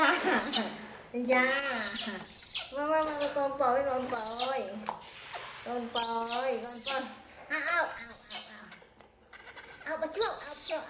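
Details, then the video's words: Orphaned infant monkey, rescued by villagers from the jungle, crying angrily while being bathed: wavering, harmonic wailing cries in bursts with rising and falling pitch, mixed with sharp splashing and clattering noises and some human voices. "Monkey Baby Poy Crying Angry MaMa Bathed"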